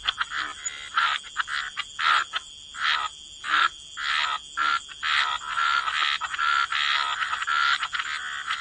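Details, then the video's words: Waterside frogs giving rough, buzzy croaks in separate bursts roughly every half second to a second, some with a brief tonal note, over a steady faint high hum. "Frog Lullaby: Relax to the Sound of Croaking Frogs"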